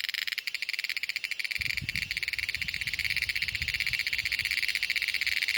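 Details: Cicada, called cheeveedu in Malayalam, heard close up. A shrill, high-pitched drone pulses rapidly and continuously throughout, with low rustling and handling noise joining after about one and a half seconds.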